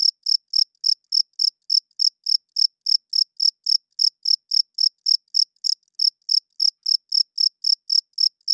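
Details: Night-time chirping of a male cricket, produced by rubbing the wings to draw females and mark territory; a long, regular run of sharp high pulses, about four each second, on a silent background.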